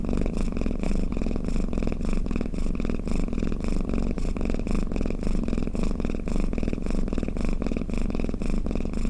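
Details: Domestic cat purring and snoring while resting, offered as a lulling sound for cats: a steady low rumbling purr with rapid pulsing, swelling slightly in regular breath cycles, continuous throughout with no other sounds.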